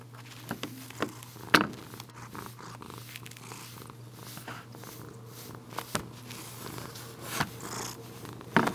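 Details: Tobi, a female Bengal cat, purring indoors while being brushed after coming to get her brushing; a low steady rumble is broken by sharp brush strokes and clicks, with a constant low mains-like hum underneath.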